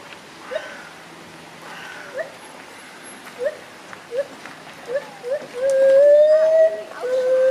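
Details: Gibbons, agile climbers swinging from branch to branch, utter a series of brief upswept whoops that build into a long, slowly rising hoot, followed by a second sustained note, with faint background noise.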